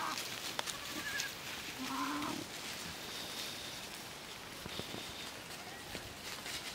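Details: Miniature goat kids playing while out at pasture on a farm, Domaine des Tourelles. A single wavering, nasal bleat rises and falls around the middle, set against steady outdoor noise, brief clicks and a faint human voice.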